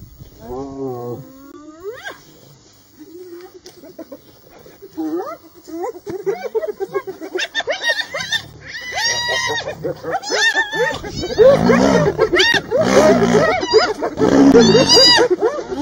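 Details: Hyena clan in the Masai Mara, unafraid of a lioness: scattered rising whoops and moans build into loud, rapid, overlapping chattering calls from several animals.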